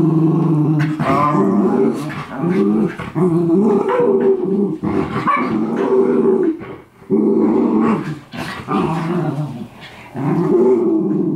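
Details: Walther and Theo, two miniature schnauzer brothers, play-fighting indoors as they do daily: long bouts of low rumbling growls, rough and continuous, broken by short gaps, with occasional sharp yips and snarls.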